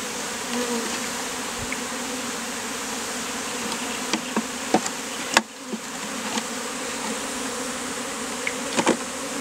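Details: Mass of honey bees forming a bee beard on a man's face in hot weather, steady droning hum throughout, broken by a few sharp knocks and clicks and a brief dip midway.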